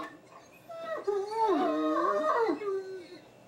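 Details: Deaf Great Danes "talking": wavering, tonal howl-like moans that rise and fall over about a second and a half, with overlapping voices bending in pitch before fading into quieter whines.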